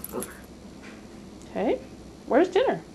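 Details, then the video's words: Pet Cairn Terrier talking about mealtime indoors: two short moaning, rising-then-falling harmonic yowls near the end, between a person's questions about dinner. "Talking Cairn Terrier"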